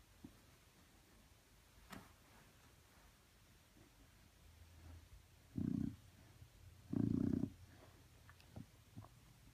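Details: Chow Chow dog fake-snoring when petted, two low rasping snort-like snores about a second and a half apart over quiet room noise, with faint clicks and a soft low rumble before them.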